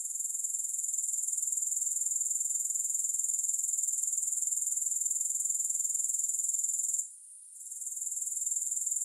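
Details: Grasshoppers in a long, music-free sleep and relaxation recording: a steady, shrill, very high pulsing trill of rapid, even beats that fades out briefly near the seventh second before resuming at full strength.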